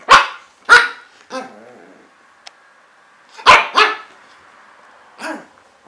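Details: Pug puppy aged five months giving loud, sharp, high barks in irregular bursts: a quick pair, a softer third yap, then another close pair and a final quieter bark, in otherwise quiet surroundings.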